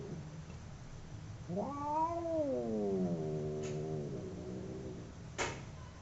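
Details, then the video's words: Fighting domestic cats: one long howl that rises, then slowly sinks and wavers for about three seconds, with a sharp click near the end over faint low background noise. "Two cats howling cats fighting sound"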